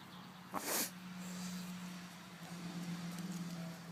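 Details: Swedish pigs sneezing: one sharp, breathy, noisy burst early on, then quiet snuffling against a steady low hum that runs through the whole recording.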